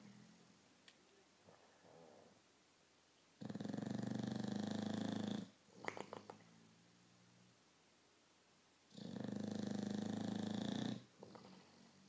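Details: Victorian Bulldog asleep indoors, giving two drawn-out, rumbling buzzy snores of about two seconds each, with faint breathing, a brief snort and soft clicks in the quiet gaps between them.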